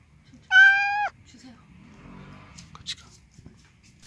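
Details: Cat recorded indoors during an introduction between an older cat and a kitten; a single loud, harmonic meow-like cry about half a second long, followed by quiet rustling, soft murmured speech and a few clicks.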